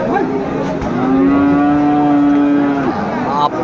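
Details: Sahiwal cattle bull at the traditional Aftabganj market in Dinajpur on Tuesday, 18 March 2025: one sustained, steady, even-pitched moo of about two seconds with rich overtones, with a man speaking and light market noise.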